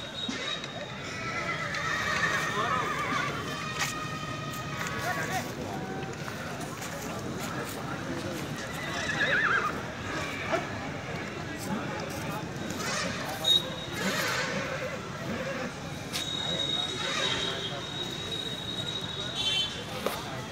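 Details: Horse at a horse fair in Dewa Sharif, India, giving a harmonic whinny that falls in a wavering sweep near the start, amid steady crowd chatter, men's voices and market bustle throughout.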